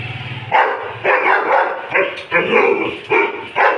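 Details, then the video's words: Doberman barking: loud, harmonic barks in short bursts, repeated about every half second to one second with brief gaps between. "Doberman sound"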